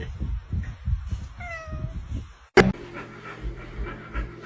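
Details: Domestic cat giving one short meow, a clear tonal call that holds a steady pitch for about half a second, over low rumbling room noise; a sharp bang follows, then a hum.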